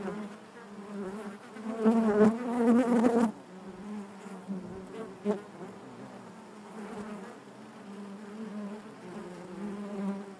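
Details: Hive interior full of honey bees: a loud wavering buzz of a bee close by for about a second and a half, then a softer, steady colony drone with occasional brief clicks and swells.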